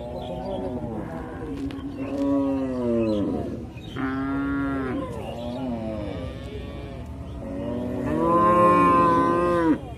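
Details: Cattle lowing: several long, harmonic moos of about a second or more each, some rising and falling in pitch, overlapping at times, with a louder, brighter moo near the end; faint background noise.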